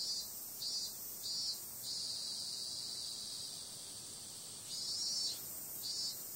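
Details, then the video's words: Cicadas calling at night in summer: a thin, high electric buzz, pulsing in short swells at first, holding steady for several seconds, then throbbing again toward the end. "Cicada sound"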